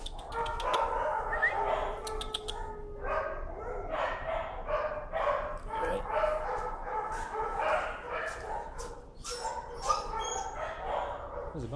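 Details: Leash-shy timid dog protesting on a desensitizing walk, giving a long run of strained, repeated whining and yelping cries, roughly two each second, with a man talking over it.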